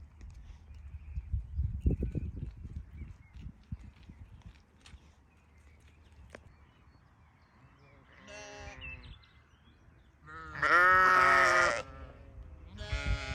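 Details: Sheep on a farm bleating three times: a brief wavering bleat, then a long, loud, strained bleat lasting over a second, and a final one cut off at the end, after low rustling and thumps.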